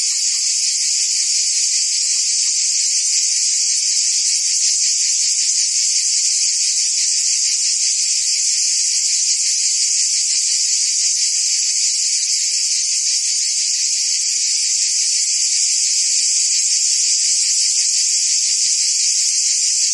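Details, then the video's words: Insect chorus dominated by crickets, a constant high-pitched trilling wall of sound with faint rapid pulses, level steady for the whole stretch and nothing else audible. "Cricket and Insect Sounds"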